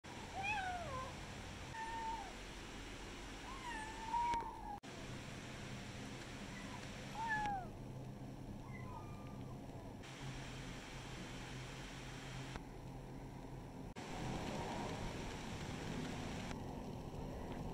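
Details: Village kittens meowing: high, thin, downward-curving mews near the start, repeated every second or two, then fading out, with a quieter stretch of background hum and a few faint later mews.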